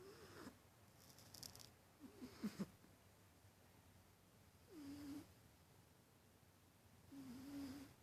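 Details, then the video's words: Domestic cat asleep and snoring in a quiet room, with low buzzy rattling snores lasting about half a second, spaced a few seconds apart, and faint breathy hisses in between. "Snoring Cat"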